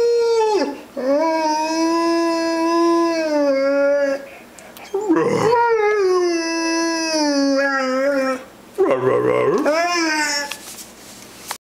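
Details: Rhodesian Ridgeback talking to its owner with three long, drawn-out howls, each tonal and rich in overtones, gently sliding in pitch and broken by brief rough, gravelly vocal transitions.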